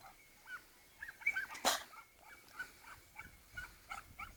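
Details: Croatian sheepdog named Lila, a working dog, producing a string of short, high whimpering notes about two or three per second, interrupted midway by a sharp noisy burst.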